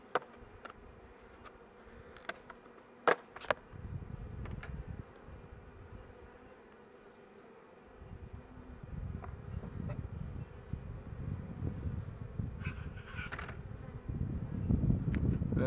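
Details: Honey bee colony in a beekeeper's hive near the end of winter, while shallow frames are set over the brood box; a steady low droning hum with sharp clicks and knocks of hive handling, growing louder in the second half.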